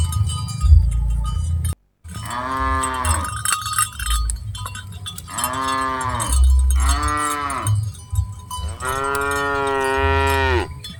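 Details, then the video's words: Dozens of cattle on the move during herding; four moos follow one another, the last longest and loudest, with cowbells clinking and a low rumbling backdrop. "Aktivitas Mengiring Puluhan Sapi Lembu Lucu Suara Moo - Suara Sapi Moo Yang Lucu"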